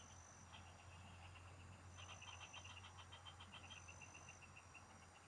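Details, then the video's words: Field frogs in a countryside chorus, heard while fishing. Loud, fast strings of bright ticking notes pour out almost continuously, with a high steady insect tone and a low droning hum behind them. "Pikinggan mo Ang MGA huni Ng MGA Palaka SA bukid"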